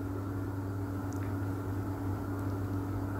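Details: A steady low mechanical hum, like an engine or appliance, with no animal voice. No bark, howl or other call rises above the drone.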